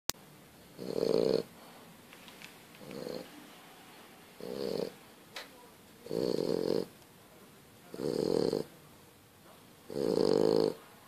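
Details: French Bulldog. A French Bulldog snores steadily, each breath a coarse, buzzy rasp lasting about half a second. The snorts come at an uneven rhythm in a quiet room.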